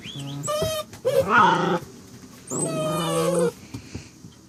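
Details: Saint Dane puppy Faith producing odd sounds: a short high whine, then two sustained, slightly nasal moaning calls with strong harmonics, the second steady and long, with quiet room noise between.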